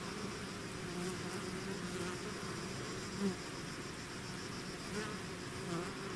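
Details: Natural buzzing of a bee swarm out of its hive: a constant, rich droning murmur, punctuated around the third second and again near the end by single bees buzzing close past.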